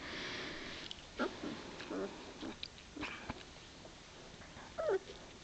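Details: Two-week-old White Shepherd puppies of Foxhunt's F1 litter, recorded 18 February 2014 indoors; soft, short, high squeaky whimpers come a few times, a brief squeal near the end, over faint sniffing and rustling.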